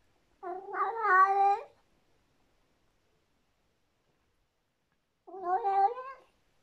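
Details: A female Persian cat, alone, gives two drawn-out, wavering yowling howls, each over a second, separated by a pause, while eating a tasty treat; she makes this sound only when the food is very delicious.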